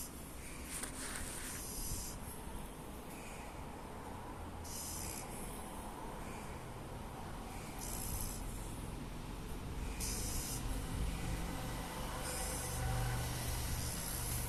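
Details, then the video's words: Oreo, a black French Bulldog asleep belly-up with eyes rolled back, snoring loudly in low rasping snorts with hissy breaths repeating every couple of seconds, against a steady background hum. "OREO...sleep and snoring...so funny..🤣🤣可爱的歐力歐。。。反着白眼，反肚皮睡觉，大打鼾。。。"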